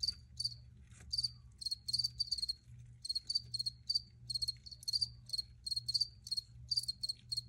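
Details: Recorded crickets chirping steadily: quick clusters of sharp high pulses, several per second, some chirps overlapping as if from more than one insect, with a soft low hum underneath.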